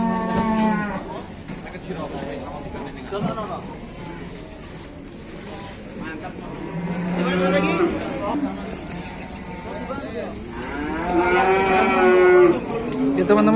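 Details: Big cattle at a livestock market in Indonesia. A deep drawn-out moo opens the recording, then a louder rising, bellowing moo near the end, with people chatting steadily throughout.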